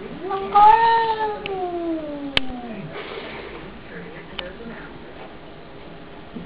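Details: Domestic cat standing at the cat flap after a fight with a neighbour's cat, giving one long, drawn-out yowl that starts higher and slowly slides down, then trails off; faint knocks and a quiet room follow.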